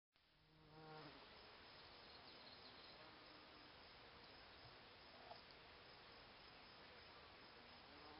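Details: Bees buzzing around Solomon's seal in flower beds at a cabin; a steady, dense insect hum fills the recording, with a brief lower drone near the start.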